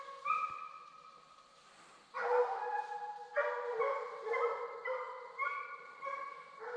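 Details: Young Redbone Coonhounds on a 2020 coon hunt, male Hades in his second season and female Copeland's Redhot Maple in her first, give drawn-out, harmonic-rich bawls, one long howl, then a louder chorus of overlapping bays after a brief quiet gap.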